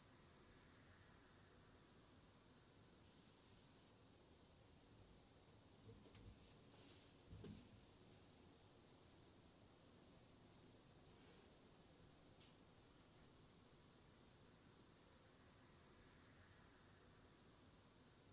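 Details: Unbroken high cricket trill holding one even pitch for the whole stretch, layered over a hissy, rumbling background with a brief faint clatter near the middle.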